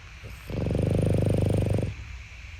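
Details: A sleeping Boston Terrier puppy gives a single low, rattling snore lasting just over a second.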